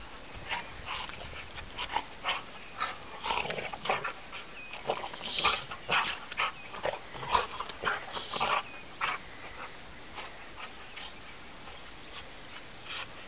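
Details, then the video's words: Irish Wolfhound mix and another dog romping in fresh blizzard snow, December 18, 2009, making noisy play sounds; uneven bursts of yips, whines and grumbles, densest in the middle, fading toward the end. "Bella and Wiley (our Irish Wolfhound Mix) dogs play in the snow"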